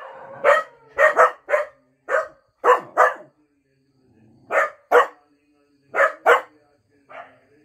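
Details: Two cocker spaniels, Mickey and Minnie, howl and bark in sharp, mid-pitched bursts, often doubled, with short pauses between.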